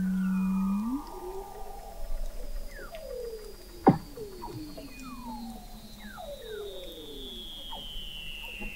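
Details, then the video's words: Under thick Antarctic sea ice in McMurdo Sound, an observatory 21 m down captured Weddell seals in November 2017: a loud low tone sweeps upward, then many falling whistled glides and a long high descending trill, with a sharp click midway. "Song of the Antarctic Weddell Seal"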